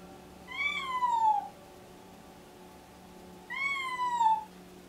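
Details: Domestic cat named Alice, deaf and pregnant, in pre-labour and excited, meowing indoors: two long harmonic meows about a second each, slightly rising then falling in pitch, separated by a two-second pause, with a faint steady hum behind.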